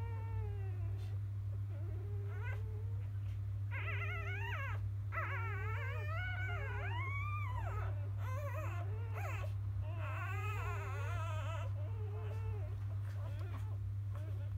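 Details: A litter of newborn field-type Labrador Retriever puppies from the champion dam biscuit, settling after a morning feed: a dense run of overlapping high, wavering whines and squeals from several pups, rising and falling, then easing into softer whimpers over a low hum.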